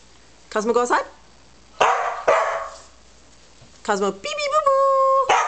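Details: Two pet Corgis at home with a person; high, sharp yapping barks in short harmonic bursts near the start and again around four seconds, mixed with a person's voice and talking.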